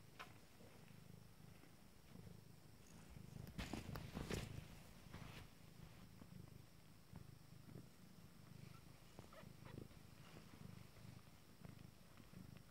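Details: Steady rumbling purr of Abyssinian kittens at nine days old, running the whole time, with a burst of rustling and handling noise about a third of the way in.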